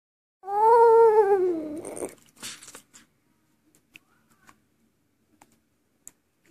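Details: Bullet, a pet dog, singing indoors: one sustained, wavering howl that slides gently downward over about one and a half seconds, followed by soft shuffling and quiet clicks.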